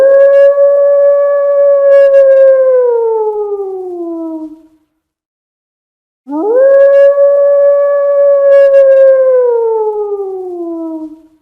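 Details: Wolf giving two long, clear howls, each holding a steady tone before sliding slowly downward and fading, with a short silent gap between them; no other sounds.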